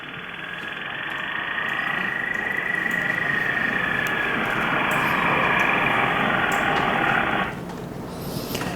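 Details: A minke whale (Balaenoptera acutorostrata), a species that occasionally appears in Korean waters, gives a long, harsh, buzzing call with a steady whine running through it.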